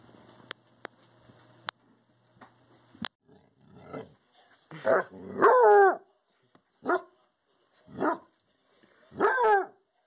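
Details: A Redbone Coonhound howls at a visiting porcupine, giving short, wavering howls in a series of bursts.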